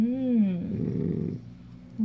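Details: Dachshund guarding its dog chew, indoors: a falling whine gives way to a low, gritty rumbling growl lasting about a second, then a fresh whine begins at the end.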